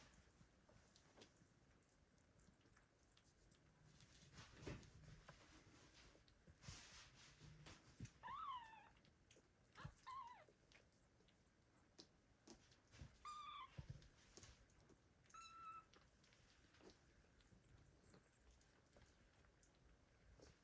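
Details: Abandoned kittens meowing loudly and calling for their mother cat, in 2022: four short, high, rising-then-falling meows spaced about two seconds apart midway through, over soft rustling and handling noise.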